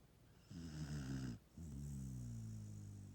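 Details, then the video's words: Sleeping dog snoring after a hard day: a short, low, rattling snore, a brief pause, then a longer drawn-out droning snore that fades gradually. "Peanut (dog) snoring."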